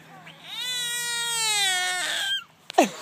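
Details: A hand-held frog, which the person holding it insists is not being squeezed, gives a long, drawn-out nasal wail that sounds strikingly like a cat's meow.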